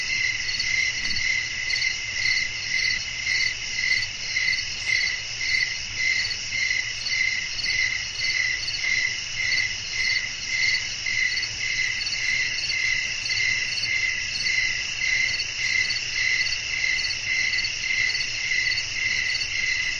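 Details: Crickets calling through a windy night, an unbroken ringing chorus of high, regularly pulsed chirps, about 105 per minute, steady in loudness throughout, with a gentle low murmur beneath.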